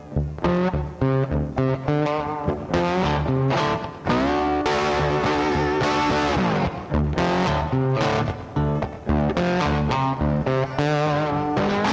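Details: Loud guitar-led music with plucked and electric guitar and bass plays throughout, and no animal sounds can be picked out.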